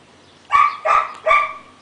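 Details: Domestic dog barking: three loud, sharp barks in quick succession, each harmonic and mid-pitched, spaced about 0.4 seconds apart, against a quiet background.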